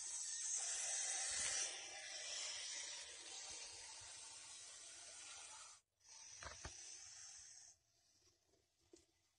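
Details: Venomous snake settled beside a water meter in Masis, hissing: a loud, steady airy hiss for about six seconds, then a brief gap, a few sharp clicks and a fainter renewed hiss.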